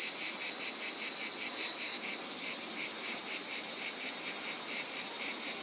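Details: Cicada in nature giving a dense, shrill buzz; after about two seconds the drone shifts into a strongly pulsing, throbbing rhythm of roughly four beats per second.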